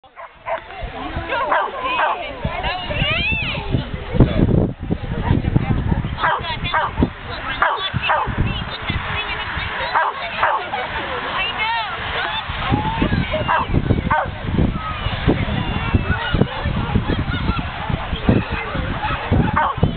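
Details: A border terrier, a small pet dog not responding to his owner, barks and yips in rapid, excited bursts throughout, with harmonic yelps stacked above steady background noise and a person's voice mixed in.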